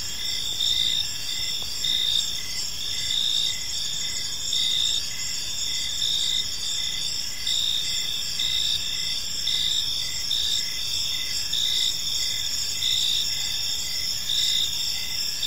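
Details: Cricket chorus on an evening in a park: repeated high chirp bursts, a little under one per second, riding over a dense continuous trill, with low ambient rumble.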